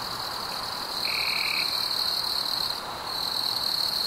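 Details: Crickets chirping on a warm summer evening: a steady, high-pitched shimmering trill that runs without pause, with a brief, lower whistled tone near the middle and faint background hiss.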